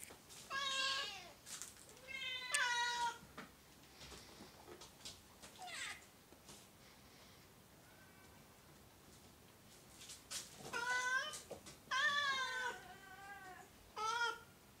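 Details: Oriental and Siamese cats indoors, several harmonic meows in bursts, some wavering and rising-falling, clustered at the start and again near the end, with quiet room noise between.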